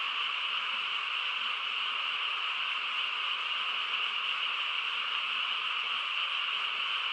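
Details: Countryside frog chorus on a still night, many callers merging into one continuous, level, high buzzing hum that never breaks.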